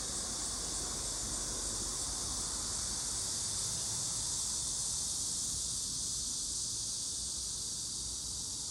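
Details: Cicadas calling in a summer forest on a low hill not far from a road, a dense, unbroken high buzzing hiss holding steady for the whole stretch with no pauses, over a faint low rumble.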